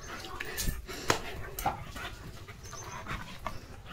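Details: German Shepherd named Leo pants and snuffles while playfully nudging from behind during continuous rain on a muddy field; airy, irregular breaths with a few knocks and brief human voice.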